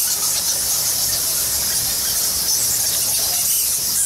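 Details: A huge colony of bats inside the Goa Lawah cave temple in Bali fills the air with piercing, tightly packed squeaks forming a steady shrill shimmer without pauses.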